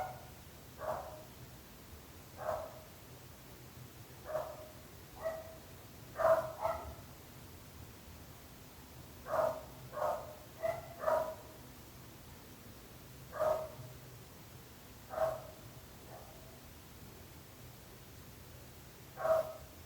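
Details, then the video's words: Dog barking, part of a long stretch of nuisance barking that disturbs neighbours: short, mid-pitched single barks, about fourteen in twenty seconds, spaced irregularly at one to two seconds with a few quick pairs, over a low steady background hum. "26 minuts gossos lladrant / 26 minutes barking dogs"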